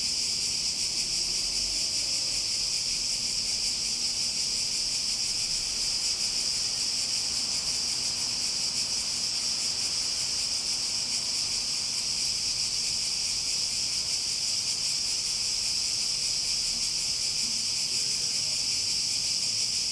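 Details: Cicadas buzzing nonstop in a bright, high, shimmering drone, its rapid pulsing constant from start to finish and little background besides.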